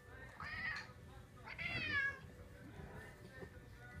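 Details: Cats Cisco and JJ calling indoors: two drawn-out, wavering harmonic meows about a second apart, with faint talk and low rumble beneath.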